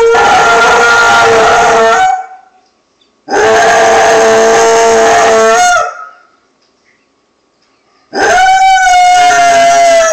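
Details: A Basset Hound howls at an answering machine as it goes off, giving loud, drawn-out howls, each lasting a couple of seconds, with pauses between.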